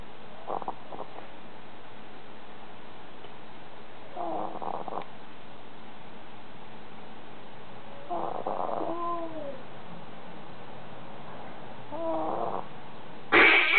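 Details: Lilly, a sleeping dog, snoring: soft rasping snores come in a steady rhythm about every four seconds, some carrying a wavering, whistly edge, with a brief louder rustle at the very end.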